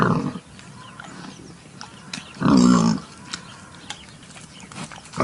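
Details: One loud, nasal pig grunt in the middle of a quiet stretch, framed by fainter rough grunts at the start and end.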